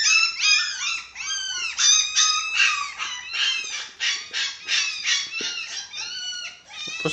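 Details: Several six-week-old dachshund puppies whining at feeding time, with a white Japanese Spitz among them; high-pitched, rapidly repeated squealing whines, each arching then falling, in steady overlapping bursts of several per second.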